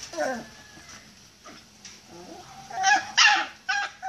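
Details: Miniature Pinscher shut in a cage and wanting to come out, giving high whines that slide downward, then a few sharp yips close together, indoors.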